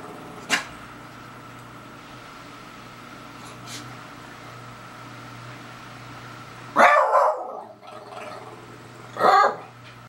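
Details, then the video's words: Beagle Daisy at a stink bug: mostly quiet room tone with a few faint clicks, then a strong rough bark around seven seconds and a second near nine. "Daisy the Beagle Howls at Stink Bug"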